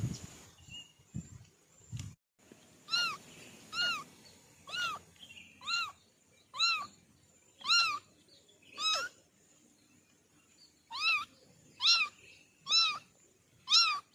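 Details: Kitten from a group of four meowing repeatedly, high, arched and tonal with rich harmonics, about once a second after a few low thumps at the start.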